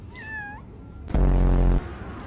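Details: A cat answers a person's greeting with a single short meow that dips and then rises. A sudden loud low thump follows, amid quiet background hum.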